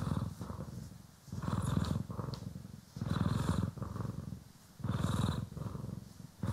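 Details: Cat Poki or Kiwi purrs contentedly while groomed with a brush, stereo recording; rhythmic low rumble pulsing in long inhale-exhale cycles, occasional crisp brush strokes heard above it.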